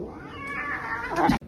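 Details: A single drawn-out domestic cat meow, tonal and slightly rising, held for about a second before a sharp scraping noise cuts it off.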